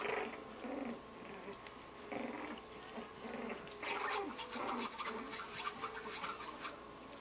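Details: 33-day-old Lhasa Apso puppies, playing with ice in a bowl, give small, squeaky growls and yaps in short repeated bursts.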